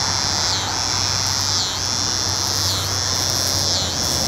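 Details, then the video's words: Cicada singing in North Carolina: a continuous high, shrill buzz with a brief dip roughly every second, giving a steady pulsing rhythm over a low background hum. "Cicada Sounds in North Carolina"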